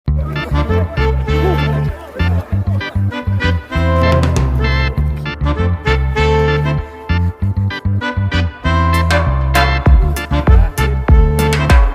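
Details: Loud upbeat band music with a steady thumping bass beat, brass-like stabs and sharp percussive hits throughout; no animal sound is heard.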